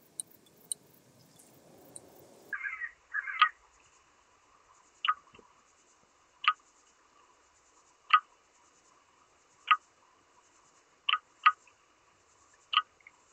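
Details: Oedipoda germanica, the red band-winged grasshopper, recorded in Mörnsheim, Germany, 14 July 2023. A short rustle, then crisp ticking clicks spaced roughly every one to two seconds, some paired, over a quiet background.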